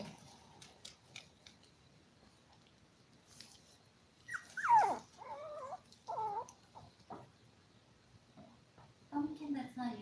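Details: {'caption': 'Five-week-old toy poodle puppies, seven in the litter, with a burst of looping, wavering squeaks and whines from one pup, then a later rising whimper, over a quiet background.'}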